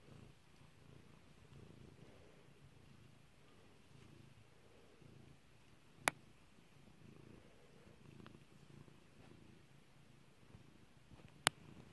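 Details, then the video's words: Kairi, a pet cat, purrs as she is stroked indoors: a continuous low rumble rising and falling in gentle waves, with two sudden loud popping clicks cutting through at roughly six and eleven seconds. "Petting Kairi"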